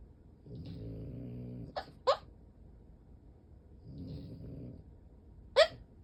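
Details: Deeply asleep French Bulldog sprawled with legs splayed and eyes rolled back, snoring and sleep-talking; two low, rasping, harmonic snores about three seconds apart, with short sharp clicks or snorts between.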